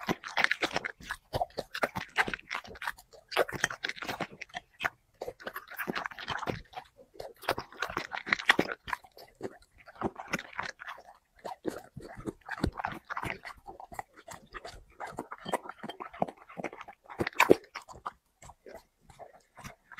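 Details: Mukbang ASMR of a dog eating five plates of chicken and vegetables: crisp, snapping crunches and moist chewing repeat rapidly in clustered bouts, one louder crunch standing out late.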